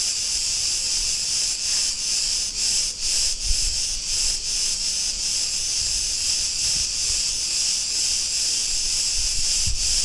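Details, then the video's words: Cretan cicadas in an Ierapetra street, Crete, Greece, keep up a continuous shrill hissing drone, its sheen broken by short rhythmic pulses, with soft low-pitched traffic thumps underneath. "Cretan cicadas sounds"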